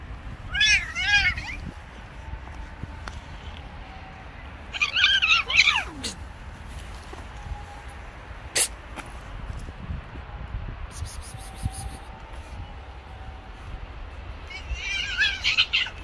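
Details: Female cat refusing to stay with a male cat: three drawn-out, wavering yowls several seconds apart, each rising and falling in pitch. Sharp clicks and a low hum fill the quieter gaps between calls.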